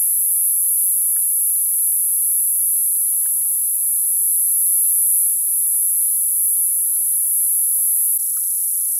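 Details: Shrill, ringing drone of summer cicadas held steady, with a slight change in tone near the end and faint clicks underneath.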